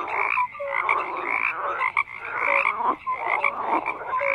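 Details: Dense frog chorus of overlapping croaks and bright short notes, loud and steady with a few quick pauses, several callers heard at once.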